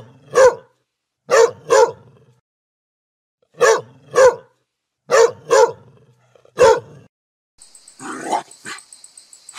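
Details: Dog barking in deep, resonant pairs and single barks at irregular intervals, followed at the end by a short burst of hissing noise.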